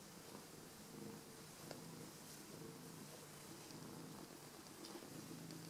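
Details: Domestic cat purring in greeting, happy to see its returning owners indoors; a low, steady rumbling purr runs continuously through the clip with soft rustling and faint handling clicks in a small room.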